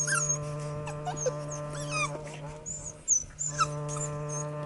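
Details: Border Collie pups, a litter of two males and two females at fifty days old, playing excitedly; high thin yips and sliding squeals come in scattered bursts above a constant droning hum.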